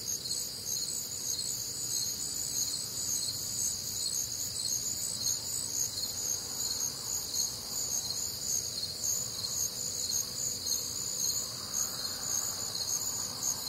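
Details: Crickets calling through a warm, humid Midwestern summer night, many insects producing steady high, beating chirps about twice a second, with a faint rising whoosh of distant background noise near the end.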